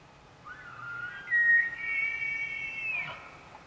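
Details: A 6x6 bull elk (Cervus canadensis) in Arizona bugles: a high whistled tone that climbs, holds, then breaks off.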